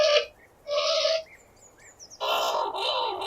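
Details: Skunk squealing, processed as 8D audio; harsh, noisy high squeals in bursts of about half a second, a gap with faint thin whistles, then a longer raspy squeal running to the end.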